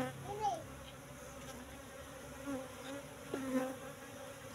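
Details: Asian honey bees (Apis cerana) at a hive box, moved from the forest about three months earlier, during a honey harvest; faint steady low buzzing with a few brief louder passes and quiet speech in the background.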